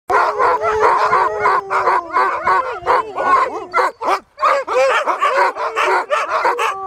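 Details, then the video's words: Sled huskies on a full-day 30 km dog-sled tour at Riisitunturi on the Arctic Circle in Finland, March 2013: a chorus of excited barks and yips with long tonal howls layered over, dense and continuous. "husky sledetour"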